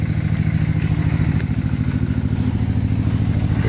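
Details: Steady throbbing of an idling truck or motorcycle engine, low and pulsing at a regular rate, with a few faint clatters; no animal voices.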